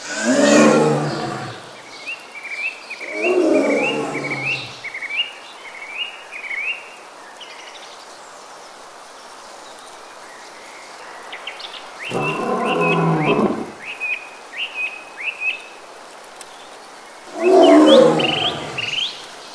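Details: Four heavy, growling roars from a Bengal tiger in India's Sundarbans mangroves, spaced unevenly across the stretch, with a bird's quick rising whistles filling the quieter gaps between them.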